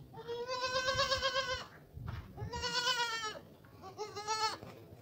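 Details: Goat kid calling out while searching for its missing mother: three long, loud, quavering bleats, each about one and a half seconds, with short gaps between, over a low background rumble.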